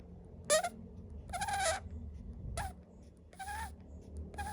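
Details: Sleeping monkey snoring: rhythmic breathy bursts about once a second, alternating short and longer pulses, each with a squeaky whistled tone in the middle, over a low steady background hum.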